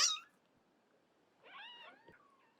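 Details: Cat meow while a mother cat moves her kittens out one by one: a short sharp knock opens, then after a pause a single drawn-out, wavering meow that dips and trails off.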